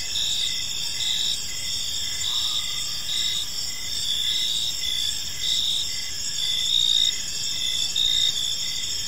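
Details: Cricket chirping at dusk in a park: continuous shrill trilling with rhythmic short pulses about once a second, a faint brief lower tone near the start, and soft background rumble.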